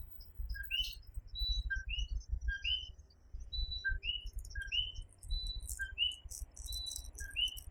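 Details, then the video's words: Puerto Rican night chorus of the coquí tree frog: many overlapping two-part calls, a brief low note and then a rising higher note, come in quick succession. Hissy insect-like bursts join near the end over a steady low rumble. "Coquí Serenade"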